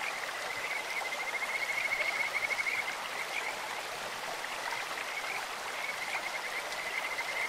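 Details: Kajika frog calling from a clear stream: one sustained high trill swelling over a couple of seconds, then fainter scattered notes, mostly masked by steady rushing water.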